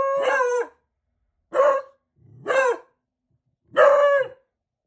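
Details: Two 4-month-old Beagle puppies learning to howl give four short, harmonic, wavering yelp-howls that rise and fall, separated by pauses of about a second.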